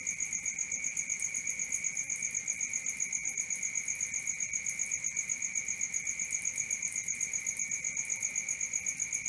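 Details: Shrill nocturnal cricket chirping, a constant ringing tone that swells and fades in quick regular pulses, about four each second, over a quiet low noise floor with a faint higher overtone.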